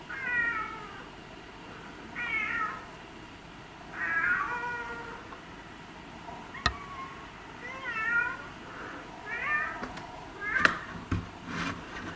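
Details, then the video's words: Domestic cat meowing again and again, about eight short bending meows spread over twelve seconds, with scattered clicks and knocks toward the end. "These Meowing Cats Will Melt Your Heart"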